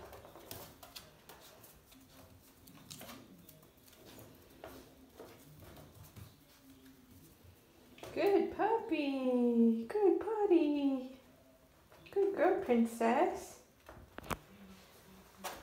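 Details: Four-week-old Border Basenji puppies in their play and sleep area, giving a run of high, wavering whines and yelps that slide downward in harmonic stacks around eight to eleven seconds, then a shorter burst near thirteen seconds, with a woman talking softly earlier.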